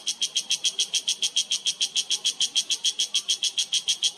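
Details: Yellow cicada calling in mountain forest at a sanctuary in the Himalaya, Uttarakhand, India, September 2023: loud, buzzy pulses repeated steadily about three to four times a second throughout, with little else audible.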